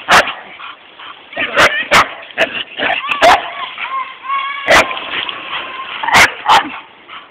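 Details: Bullseye, a bull terrier, on a beach walk with his family: high tonal whines rising and falling, with sharp short yips and barks scattered between them over steady background noise.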